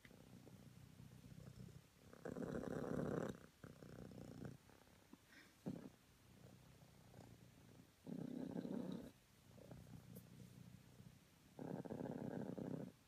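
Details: Cream self British Longhair cat purring in the morning; soft low rumbling purr with louder broadband bursts lasting about a second, recurring every few seconds, quieter steady purr between them.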